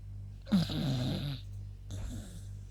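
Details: Yuta, a female beagle, sleeping indoors and tired after a walk, gives two snores: a rasping inhaled snore with a wavering low tone, then a softer, shorter one after a pause, over a steady low room hum.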